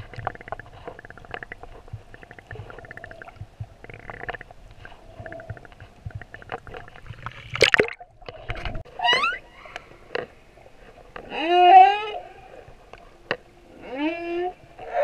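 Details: Male humpback whale singing off Moorea: amid clicking and gurgling water noise, harmonic upsweeping whoops rise at intervals, the loudest near the twelfth second, followed by a further rising cry near the end.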